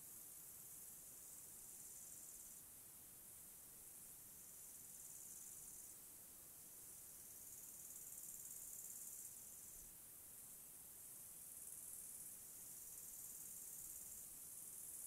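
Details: Crickets in a mountain forest on a calm day: a faint, continuous, very high shrill hiss that swells and fades in long sections every few seconds, with no other clear sounds.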